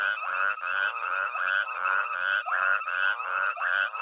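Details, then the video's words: Nighttime frog chorus at Hwange Safari Lodge, Zimbabwe, heard while elephants forage: dense overlapping croaking pulses, several animals calling at once in a steady rhythm of roughly two to three calls per second. "Elephants Forage to a Frog Chorus at Hwange Safari Lodge"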